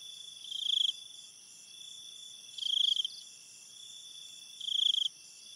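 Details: Night-time crickets: three loud, high, pulsed chirps arrive about every two seconds, each lasting under half a second, over a constant thin ringing chorus of other crickets.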